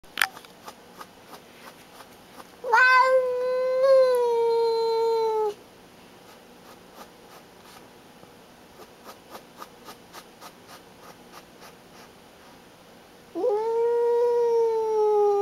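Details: Pet cat named Baby, a female, acting as a guard and showing who is boss: two long drawn-out yowls with rich harmonics, each starting with a rise then slowly falling, about three seconds long, separated by quiet ticking indoors.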